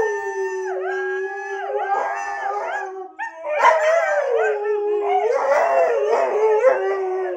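A husky howls and yodels in long, wavering tones that bend up and down in pitch.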